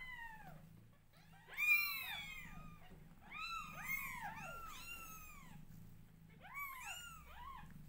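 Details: Newborn kittens call out in overlapping bursts as their mother grooms them, clusters of shrill rising-and-falling meows from several kittens at once, separated by brief pauses, with low background hum.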